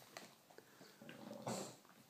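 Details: English bulldog, described as having a chat, indoors: soft clicks and snuffles, then a louder, rougher grumbling growl with a whine near the end, short bursts within two seconds.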